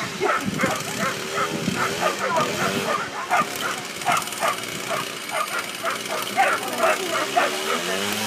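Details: Ibizan Hounds at the Tampere International coursing, Nordic championships, 14 July 2013; quick sharp barks repeated rapidly throughout, over a steady murmur of people talking.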